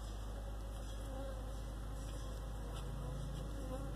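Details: Western honey bees (Apis mellifera) in flight give a steady, low droning wing buzz that is continuous and unbroken throughout.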